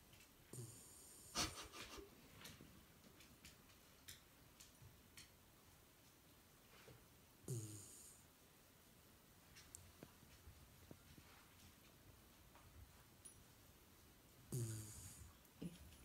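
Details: Female Shiba Inu Yuki, napping in the daytime with eyes open in a twisted, relaxed pose; deep raspy snores with a hissing top come roughly every six to seven seconds, three in all, over a quiet indoor room.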